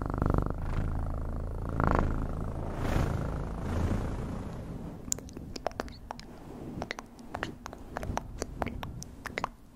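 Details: Purring cat, a rich low vibrating rumble that swells and fades for the first half, then gives way to faint purring under a series of crisp clicks and taps.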